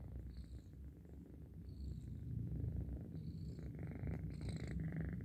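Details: Cat purring as it sleeps, a low throbbing rumble around four pulses per second that grows stronger after the first seconds, with faint high squeaky chirps drifting in the background.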